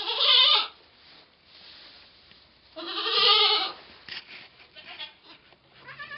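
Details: Domestic goat giving birth to twins on 2/11/11: two drawn-out, quavering bleats about three seconds apart, the second longer and rougher, with low rustling and faint murmurs between them.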